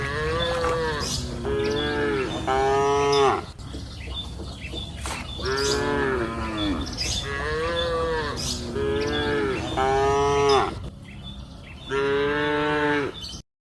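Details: Grazing cattle on a lush green hillside pasture in the afternoon, lowing repeatedly: a run of about six drawn-out moos, some paired closely, others spaced a couple of seconds apart, rich in stacked harmonics, with a steady low ambient rumble beneath.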